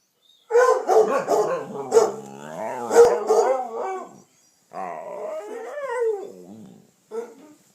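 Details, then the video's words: Dog howling and talking at home, joining in with a Redbone Coonhound that often barks and bays; long wavering, sliding tonal howls rich in harmonics, one extended phrase, a pause, a second shorter phrase and a brief final note. "Howling, yawning and talking"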